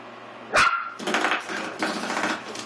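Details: Willie, a Pomeranian/Miniature Australian Shepherd mix puppy of eight weeks, tries to kill a door stop. A sharp twang of the spring is followed by gruff, pulsing growls and barks lasting about two seconds.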